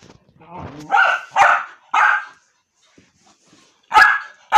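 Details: Jack, a dog bothering his mother, gives a low rumbling whine that breaks into three forceful barks, falls quiet for a second, then barks twice more.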